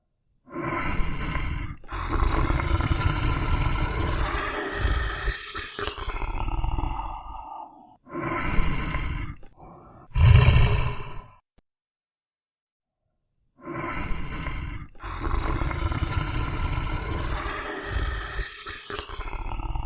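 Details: Lion. Deep, throaty lion roars rumble out in drawn-out bursts of a couple of seconds each, rough and powerful. A short silence splits the sequence before another heavy run of roaring and grunts.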